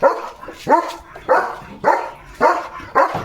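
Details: A German Shepherd called Leo, playing in the countryside with his owner, lets out six sharp barks spaced about half a second apart, each starting abruptly and fading quickly.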